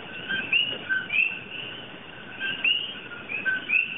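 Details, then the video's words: Common coqui frogs, an invasive species in Hawaii, sing at night their two-note 'co-QUI', a short low note jumping to a higher whistle. "Coqui Frogs, Song in the Night"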